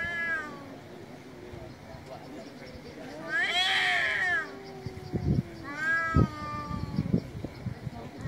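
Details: Male cats meowing loudly on an Istanbul street: a few arching harmonic meows, the loudest near the middle, followed by sharp knocking and tapping noises at the end.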